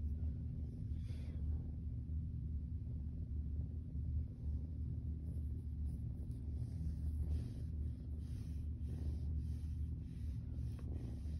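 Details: A steady low rumbling purr comes from Zurvān, a Siamese kitten stretched on his back for belly rubs; it holds evenly throughout, with occasional soft rubbing sounds.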